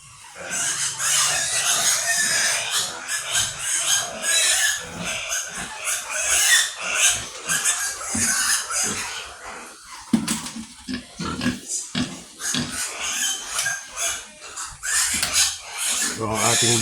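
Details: Sows and native pigs in a farm pen in the Philippines: a long run of rapid grunts and shrill squeals, several animals overlapping, with clattering pen sounds.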